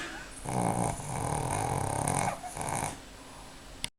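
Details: Snoring from a napping 4-year-old Pekingese named Mrvica on a Sunday afternoon. A raspy, vibrating breath runs for about two and a half seconds with a brief dip near the end, then stops abruptly with a small click.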